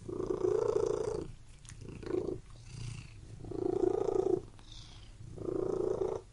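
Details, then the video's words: Domestic cat purring in four strong rumbling bursts, each around one second long with brief softer pauses between, recorded very close in a quiet room. "CAT MEOWING AND PURRING"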